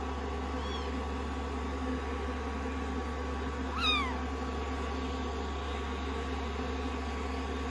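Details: Two short, high, downward-sliding meows from rescued kittens resting on a lap after shampoo and drying, day 16 of their growth record, with a constant low hum underneath.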